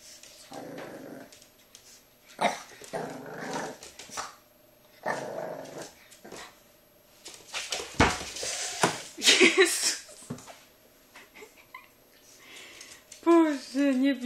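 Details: A French Bulldog puppy, afraid of a brush, growls and yelps in fear while a woman talks nearby.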